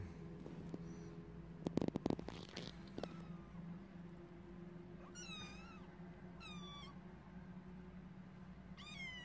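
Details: High-pitched kitten mews, three short wavering cries spaced about one and a half seconds apart, each bending up then down, following a clatter of knocking and rustling; steady low hum throughout.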